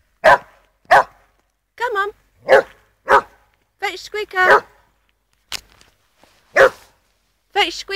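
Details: Border collie barking during a game of fetch outdoors, loud sharp barks roughly every half second to second, mixed with a woman's voice urging the dog to fetch its squeaky toy.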